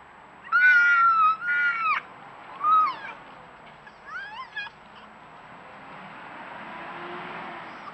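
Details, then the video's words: A pair of wild red foxes, regular night visitors caught on a trail camera, screaming while eating. Long, shrill, wavering screams come first, followed by shorter rising yelps and a burst of choppy wails. Soft rushing background noise. "Short clip of screaming foxes"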